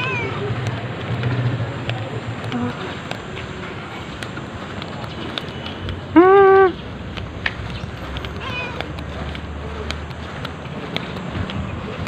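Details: Cat being petted during a walk around Amoranto Park, recorded on an OPPO A5s phone: one short, clear, slightly arched meow about halfway through, rich in harmonics, over steady outdoor park background noise with scattered faint clicks.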